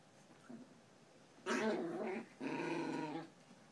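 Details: Chihuahua growling while playing tug of war indoors: two rough, harmonic growls, the first about a second long, the second slightly longer after a short pause, with quiet room sound around them.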